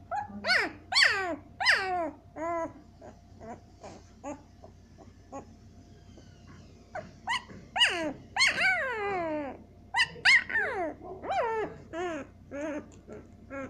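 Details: Siberian Husky puppies at seven days old whine and squeal in bursts: high, bending, harmonic-rich cries, some sliding down, grouped in quick clusters with brief quiet gaps around the middle, in a small quiet room.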